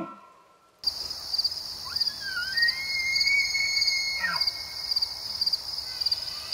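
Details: During the rut season, an elk bugles: a high, drawn-out whistle that slides upward and holds, over steady insect chirping.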